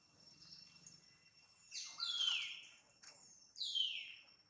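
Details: Jane, a pregnant mother monkey, lets out two loud piercing squeals, each falling steeply in pitch, about two seconds apart, with a fainter cry before them.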